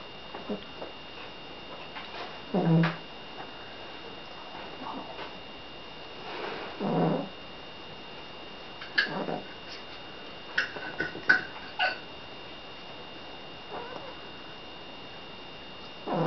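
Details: Sleeping seal point Siamese named Billy snores away: low, airy rasps recurring irregularly every few seconds in a quiet room, plus a few small clicks and a constant faint electrical whine.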